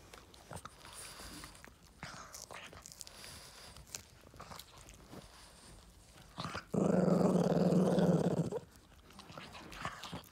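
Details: Yoda, a Boston Terrier, growls while getting a treat indoors: a low, steady rumbling growl of nearly two seconds rises sharply after quiet clicks and faint shuffling, then drops away to room noise.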